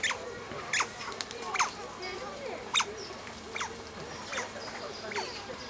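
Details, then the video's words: Asian small-clawed otters squealing with excitement while playing with rocks on a calm afternoon: repeated quick downward-sliding squeaks, roughly one every two seconds, with lower wavering chirps between them. "Felices nutrias chillan de emoción mientras juegan"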